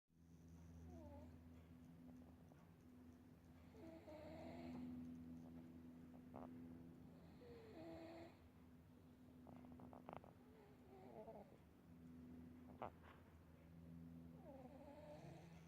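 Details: Domestic cat snoring while asleep indoors; soft rhythmic breathing snores repeat about three times a second, with faint steady low hum in the background and occasional brief clicks.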